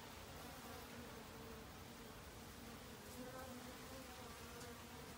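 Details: Honey bees in autumn, busily foraging for food to last the winter; a low, steady droning hum with a faint higher overtone, continuous for about five seconds over soft background noise.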